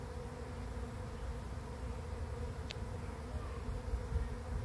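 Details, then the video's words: Many bees of a swarm settling into a swarm trap, the fourth caught, make a constant humming buzz; one sharp click near the middle, and low rumble beneath the drone. "Bee Swarm Arrives at Swarm Trap"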